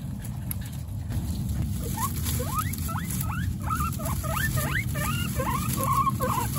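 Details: Pet guinea pig Coconut with her babies Pistachio, Pumpkin and Snow: after two quiet seconds, a fast run of short, sharply rising squeaks, roughly three a second, some with a short level tail, over a steady low rumbling hum.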